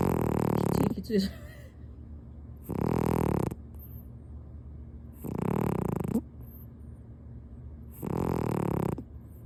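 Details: ["Loudly snoring domestic cat dozing comfortably on a man's lap through a kotatsu quilt; brief human speech opens, then three long, raspy snore breaths roughly every two to three seconds."]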